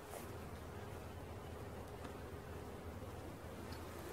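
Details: Honey bee swarm being caught: a dense, steady low buzzing hum fills the whole stretch, broad and noisy without pause or clear rhythm.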